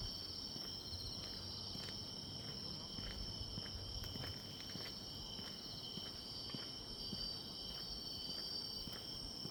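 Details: Autumn grass insect chorus heard on a walk: continuous high buzzing trills stacked in layers, with footsteps crunching along the path and some low rumble.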